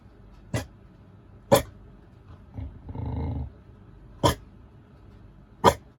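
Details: A Chow Chow shut in a room, after failing to dig its way out, gives four short, sharp barks at uneven intervals, demanding to be let out.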